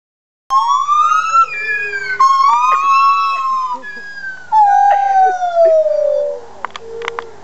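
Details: Two white-handed gibbons at the Toronto Zoo give loud, pure-toned hoots that swoop upward and slide back down in long sustained notes.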